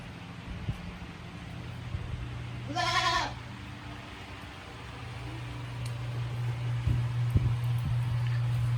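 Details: Tokara goat Sakura, a female born 29 March 2017, at Yoshigake goat farm in Himi, Japan, cooling off before an electric fan on 9 August 2020; one short, harmonic-rich wavering bleat midway, over the steady low hum of the fan.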